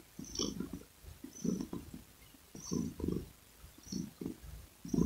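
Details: Domestic cat purring in low rhythmic pulses, each breath-cycle rumble lasting about half a second and recurring roughly every second, with faint higher clicks above.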